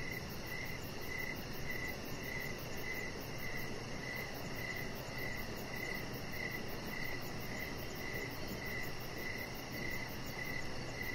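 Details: Evening cricket chorus by a deck with a resting chihuahua puppy, evenly spaced short high chirps sounding about twice each second above steady low-pitched background noise.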